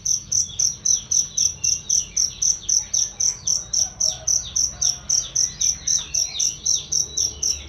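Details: Cricket recorded as a training sound for songbirds, loud and clear: shrill, high chirps repeated steadily about four times per second throughout, with faint softer twitters underneath.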